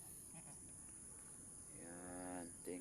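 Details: Mother goat (doe) struggling to give birth to her kid while being helped to pull it out; a single wavering, nasal bleat lasting under a second rises out of a hissy rural background with a steady high insect whine.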